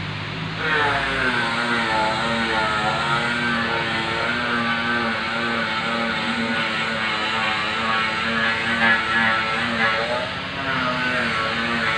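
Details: Loud music with a sustained melodic line plays over faint traffic, and no animal voice is heard.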